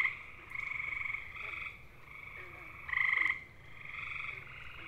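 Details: Gray tree frog (Hyla versicolor) mating call from eastern North America: one loud, rapid musical trill under half a second, set among softer, longer trills of more distant frogs.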